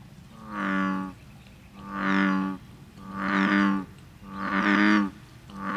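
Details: American bullfrog (Lithobates catesbeianus) gives deep, resonant droning croaks, each about a second long and repeated steadily, as its advertisement call; recorded 30 May 2010 at a bed and breakfast inn in New Hope.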